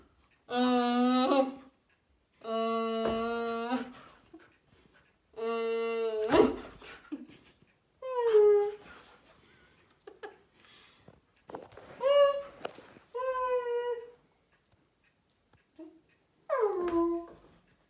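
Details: The Siberian Husky Sadi reacts to its owner suddenly wearing long nozzles and making weird noises, giving drawn-out, tonal woo-woo calls that slide downward, mixed with steady humming-like tones.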